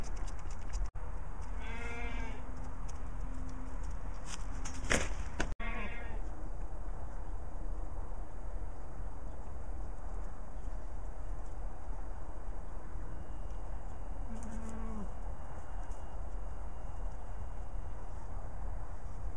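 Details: Orphaned goat kid, motherless since two days old and hand-fed milk, giving three nasal bleats: a long one near two seconds, a brief one after a loud clatter at five seconds, and another around fifteen seconds, with steady background hum.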